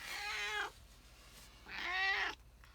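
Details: A female pet cat makes a funny noise, meowing and shaking her head, excited that her owner is home. Two drawn-out, rich harmonic meows of about half a second each come roughly a second apart.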